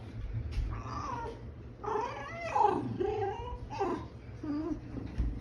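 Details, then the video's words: Tame fox with a companion animal giving cute noises: a run of high, warbling whines and squeaky cries in short bursts, pitch sliding up and down, some rougher growly tones, over a low background hum. "The cute noises of a fox"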